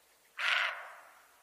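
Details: A roe deer (Capreolus capreolus) gives a single harsh, hoarse alarm bark that fades quickly, warning of danger.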